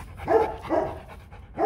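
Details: Rottweiler guard dog at the Gervi Rottweiler kennel, chained up: two deep, short barks about half a second apart, then the start of a third at the end.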